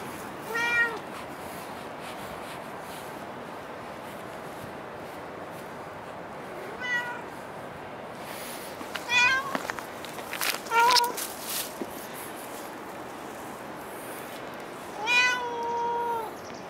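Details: A cat meowing at a dockyard garden, recorded early morning: several short, clear, harmonic meows with rising-falling tone, spaced a few seconds apart, ending in a longer drawn-out meow, over steady background hum.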